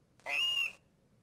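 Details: Menzbier's marmot alarm call, played as an example of alarm call diversity across marmot species; a single clear high whistle lasting about half a second, steady in pitch with a slight fall at the end.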